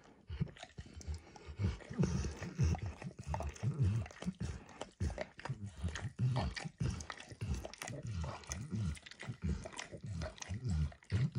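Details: Dog named Max lapping at a bumpy orange food mat coated first with eggs, then diluted peanut oil; steady moist licks repeat about twice per second, with tongue clicks and quiet room background.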